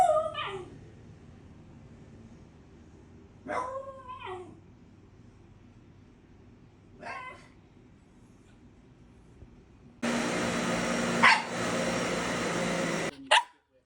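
A Shiba Inu gives short, wavering, high-pitched whiny yelps, several seconds apart, before a loud burst of noise.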